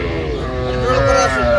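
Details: Small bulls and heifers in a batch of calves being bought and priced, steady moo that swells toward the end with a bright harmonic band, while voices talk close by.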